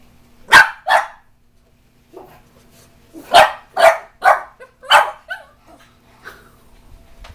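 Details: Young Bugg (Boston Terrier/Pug mix) dog freaking out at a cat statue indoors, giving loud sharp barks: two quick barks, a pause, then a rapid run of four, followed by a faint trailing yip.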